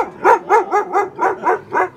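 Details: A timid Weimaraner dog during off-leash training in Saratoga Springs, New York, barks in a fast steady run of seven sharp, even yelps, roughly one every quarter second, with no other sounds.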